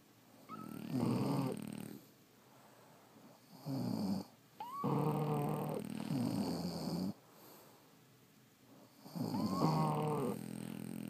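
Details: Snoring French Bulldogs sound off in their sleep, with long rumbling snores lasting one to two seconds, some ending in high squeaky whistles, separated by short quiet gaps.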